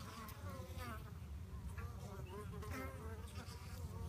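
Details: Buzzing of fighting honey bees, a rough low hum with quick warbling tones rising and falling in short bursts.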